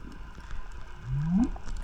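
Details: A single deep, tonal whale moan sweeps upward over about half a second, from low hum to higher pitch, heard underwater by a diver at a reef wreck off Costa Rica, loud enough to vibrate the chest; low underwater rumble behind.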